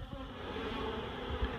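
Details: Honeybees being relocated from a barrel full of comb into a hive box, giving a dense, continuous low hum with a steady drone and no breaks.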